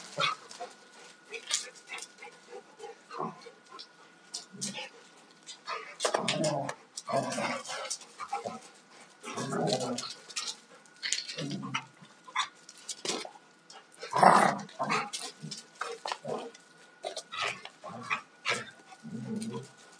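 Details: Two Alaskan Malamutes, a 2-year-old male and a 4.5-year-old female, rough playing; scattered low growls and grumbles in short bursts with scuffling, panting and clattering noises between them.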